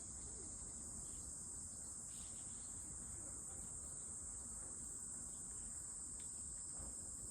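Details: Cicada giving a steady, unbroken high-pitched hiss that holds at one pitch for the whole stretch, with soft low rumble underneath.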